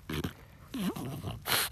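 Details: Oleg, a French Bulldog eating strawberries on a garden plot, gives a couple of short snorts, then a brief nasal whine that dips and rises, followed by a loud breathy huff at the end.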